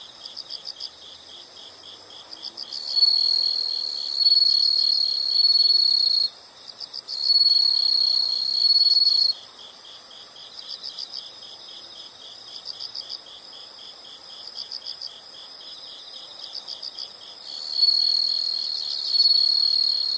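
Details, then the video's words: Night-like insect chorus of high, rapidly pulsed chirps, about four per second, overlaid by three loud continuous shrill trills that start and stop abruptly, each lasting a few seconds, with quieter chirping in the gaps. "the sound of insects"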